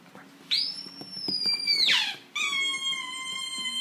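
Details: Italian Greyhound singing: a thin, very high whistled note that holds steady and then slides sharply downward, followed by a steady, lower howling tone with layered harmonics that lasts to the end.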